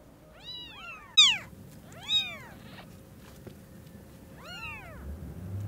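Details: Newborn kittens whose eyes have just opened, meeting their mother cat: thin, high arched mews, three or four short calls about a second apart, over a faint steady hum.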